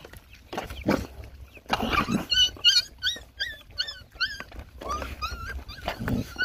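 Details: Hungry puppies and their mother dog while being fed give high, whining whimpers with bent, wavering pitch, several in quick bursts. Short mushy eating and slurping noises come between them.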